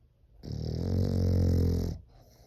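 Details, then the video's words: Indoors, a French Bulldog snores like a person: one long, deep, rumbling rasp of about one and a half seconds, swelling and fading smoothly, with faint breathing afterward. "코골이가 사람 같애 ㅋㅋㅋ😂"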